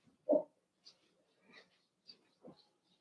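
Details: Cavalier King Charles Spaniel puppies, Ruby and Blenheim coats, born 06/09/2022, indoors overnight on August 27: one short, low yelp opens, followed by faint scattered squeaks and snuffles in a quiet room.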